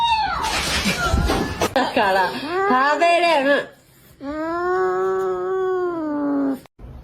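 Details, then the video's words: Domestic cat indoors giving long drawn-out meows, one wavering and falling, then a steady sustained wail of about two and a half seconds, with a person talking at the start. "Funny Cats"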